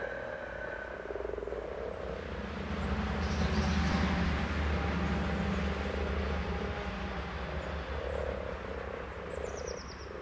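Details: Common frog chorus: a steady, low purring croak pulses without pause. Distant birds chirp high overhead, and a deep engine hum runs underneath throughout.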